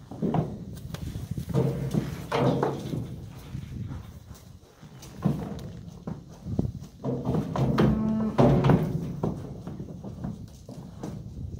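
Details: Cows and calves being moved out to green summer pasture on a farm; a low, drawn-out moo with layered harmonics sounds near the eight-second mark amid thudding hooves, clattering knocks and outdoor rumble.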